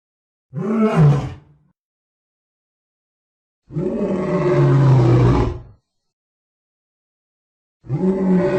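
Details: Lion roaring: a short, throaty roar, then a longer rumbling roar of about two seconds, then the start of another, all deep and coarse with silent gaps.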